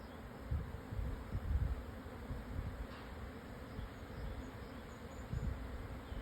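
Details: Japanese honey bees swarming after the wind calmed at noon, southern Yatsugatake plateau, Yamanashi, Japan, June 2024; dense low-pitched buzzing hum with rising and falling swells and faint wind rustle.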